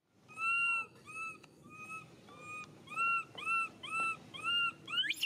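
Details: Baby monkey Mila crying as her mother Malika weans her, still relying on milk: a run of high, clear, slightly arching whistled cries, each about half a second, repeated roughly twice a second with short gaps.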